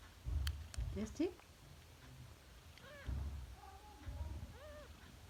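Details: Three-day-old kitten giving short arched, rising-then-falling mews, three separate cries in the second half, after low thumps and a brief human voice at the start; indoor room.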